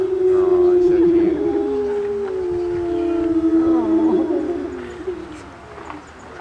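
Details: Several wolves at the Colorado Wolf and Wildlife Center howl together in long, steady, overlapping tones that waver and dip as voices join.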